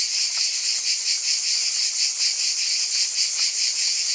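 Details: Shrill cicada buzzing, unbroken and intense, with a slower gentle swell in loudness roughly once a second.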